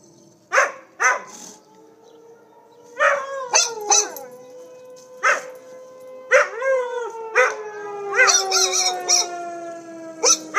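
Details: Two pet dogs named Pandora and Winston react to tornado sirens with sharp yips and barks mixed into long, slowly falling howls, voices overlapping toward the end.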